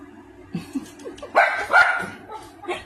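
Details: Maltese dog, female, reacting excitedly to a weird, strange noise indoors; short yips and a louder burst of barking in the middle, followed by a brief final yelp.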